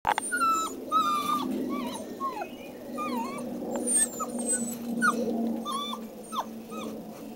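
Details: Rhodesian Ridgeback puppies outdoors giving a run of short, high whines and yelps, many sliding down in pitch, in quick irregular succession over a steady low hum.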